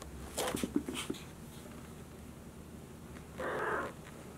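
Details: Indoors at a Tokyo breeder's cattery, young Maine Coon kittens George and Charlotte wander a room. A few soft clatters open the clip, then one bright, half-second kitten mew sounds near the end over quiet room noise.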